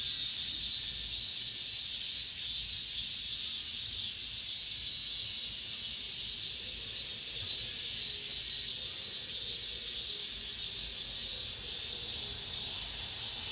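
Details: Within an apartment complex at summer's end, massed cicadas keep up an unbroken high, hissing buzz that throbs softly in slow waves, with a faint low background rumble.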